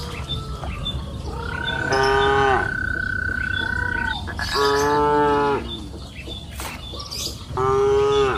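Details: Cows grazing on a lush afternoon pasture hill, a long, steady, high-pitched drawn-out call followed by two deeper, buzzy moos, with faint chirping birds in the open-field background.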